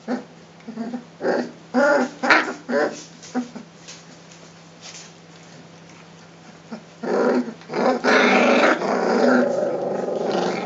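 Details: Rhodesian Ridgeback puppies, three weeks old, playing at the Makanga kennel and growling at one another: several short gruff growls early on, a lull, then a long, steady, harsh rumble of growling toward the end.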